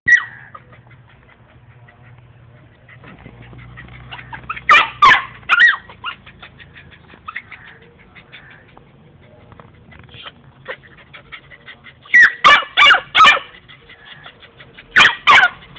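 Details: A female Labrador puppy, about 3 to 4 months old, gives sharp, high yapping barks in short bursts of two or three.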